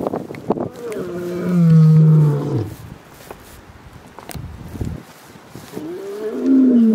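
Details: Male lion in Kruger National Park, South Africa, watching over a pride's cubs while the lionesses hunt. A long, deep, harmonic moan swells and then falls, a short lower call follows, and another moan starts at the end.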